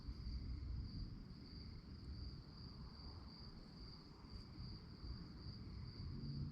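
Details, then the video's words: Crickets at night in a calm nature setting, a steady high-pitched pulsing chorus running without pause under a heavy low rumble of distant wind or traffic. "relaxing sounds of crickets"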